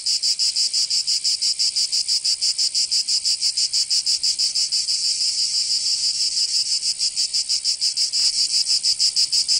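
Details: Summer cicada chorus in Provence, southern France, a harsh high rasping drone that throbs in quick regular pulses, roughly three per second, holding steady throughout with nothing else audible.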